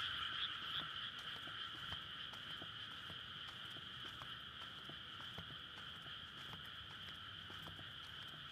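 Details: Frogs calling in a courtship chorus at night in May from a flooded rice paddy ready for planting, surrounded by housing beside a road, captured on a Sony PCM-D100; dense, continuous trilling in two steady high bands with scattered sharp clicks.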